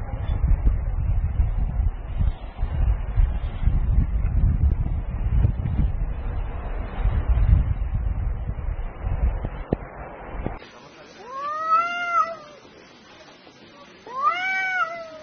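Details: Two cats fighting at noon: after about ten seconds of low wind rumble, long arching yowls rise and fall in pitch with rich harmonics, two drawn-out howls separated by a short quiet gap.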